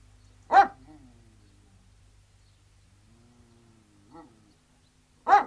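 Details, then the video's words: Alsatian guard dogs outside. A single loud bark is followed by a soft whine and a long quiet gap, then a faint distant bark and a final loud bark. Low steady hum throughout. "Three Alsatian Guard Dogs Barking, Exterior"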